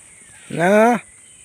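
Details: Pet goat kept at home, heard around feeding time: one loud, steady half-second bleat with a rich stack of harmonics and a slight tremble, standing out over a quiet outdoor background with a faint high hiss.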